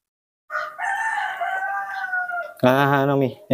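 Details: Mobi, a spoiled pet baby monkey, gives a long, steady, whistle-like wailing cry of about two seconds that drifts slightly downward, followed at once by a person talking close by indoors.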